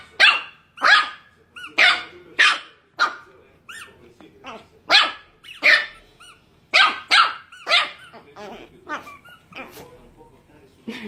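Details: Pet Chihuahua barking in sharp, high, yappy bursts, roughly fifteen barks over eleven seconds at an uneven pace, with some softer yips between them and people talking nearby.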